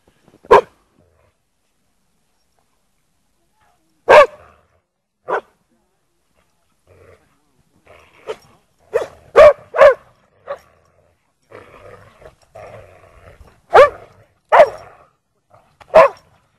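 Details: Lurchers Egg and Toby with Buttons playing in snow at Priory marina, Bedford: loud single barks spaced seconds apart, a quick cluster of three in the middle, soft murmuring between, and more sharp barks toward the end.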